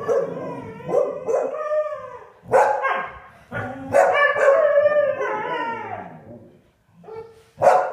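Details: A Siberian Husky, annoyed by English springer spaniels, gives drawn-out, wavering howls that slide up and down in pitch with short breaks.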